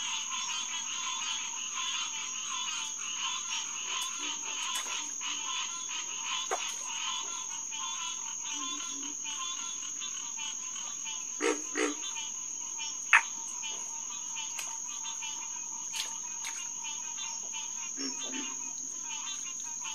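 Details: Green tree frog (Hyla cinerea) chorus at SMNWR Headquarters Pond, June 2, 2021, 9:10 pm. Dense harmonic calling for the first seconds thins to scattered calls. A steady high whine persists throughout, with several brief sharp knocks and low grunts.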